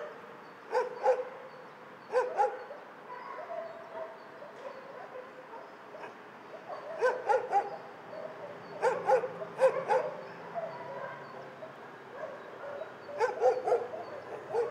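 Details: Chorus of dogs in a dog shelter: loud barks in clustered bursts of two to four, at about one, two, seven, nine to ten and thirteen seconds, over constant background barking from many other dogs.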